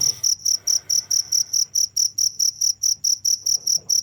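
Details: Steady high-pitched cricket chirps pulse evenly, about two to three each second, ringing and metallic, with a quiet low drone running underneath throughout.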